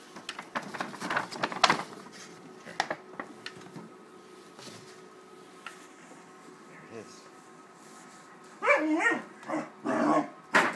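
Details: Thirteen-week-old Great Dane puppy Wallace upset at a paper bag: rustling and a person talking first, then three or four sharp yelping barks near the end.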